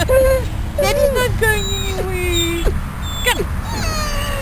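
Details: Riddick, a dog just moved out of ICU at Bryanston Veterinary Hospital and visiting on the grass outside, uncomfortable and probably hungry, whines in drawn-out falling and wavering tones, several in a row over a steady low rumble.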